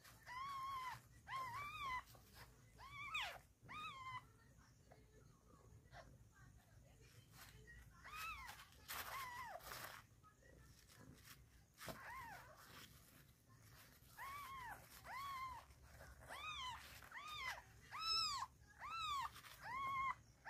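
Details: Newborn kittens of the pet cat Chhumpu, heard in the morning: high, arched mews with rich harmonics, given in quick bursts of several calls separated by short pauses, about seventy a minute, in a small indoor room with faint background rustling.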